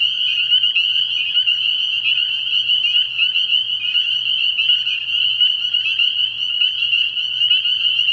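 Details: Frog pond at night early in the year, a massed chorus of spring peepers giving countless high, sharp peeps that merge into a steady ringing drone, with a faint low hum in the background.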